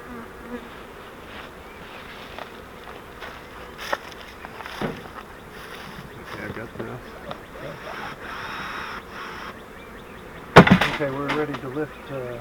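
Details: Honey bee swarm caught in a flowerpot swarm trap, being moved into a Langstroth hive. A steady, dense buzzing hum runs throughout, with clicks, scraping and a loud knocking burst of handling near the end.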